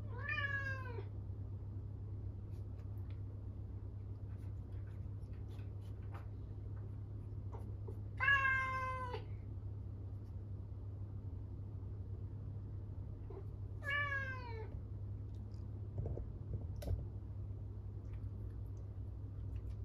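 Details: Norwegian Forest Cat meowing loudly out of loneliness once its owner has left; three long, drawn-out meows, each bending downward at the end, spaced several seconds apart over a steady low indoor hum.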